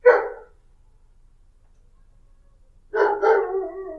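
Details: Single dog bark at the start, then a long quiet gap before a drawn-out double bark with a slightly whining tail.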